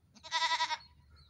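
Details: A single goat kid's bleat, under a second long, wavering and nasal with a pulsing tremble, given during a morning run.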